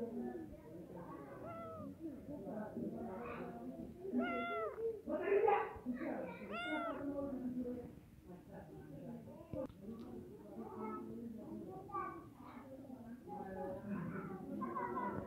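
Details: Cats meowing in a compilation of funny kittens: short rising-falling meows in several voices, repeated irregularly, with human speech running underneath throughout.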